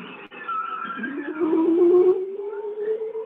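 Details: A bowhead whale sings a low, wavering, pulsing tone that slides upward into a steady held note, on Alaskan Arctic passive acoustic monitoring; bearded seals and a ribbon seal may call in the background. The song is thought to serve reproduction.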